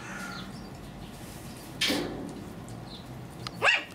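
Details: Two-month-old Pomeranian puppies: a short, noisy yelp, then after nearly two seconds a sharper high yip with a bright tonal edge, over a steady low background hum.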